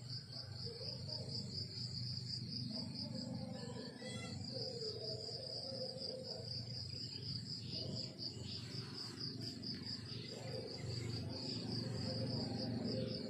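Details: Morning countryside crickets keep up a continuous shrill, rapidly pulsed trill, strong and even from start to finish, over a low steady hum and scattered faint lower chirps.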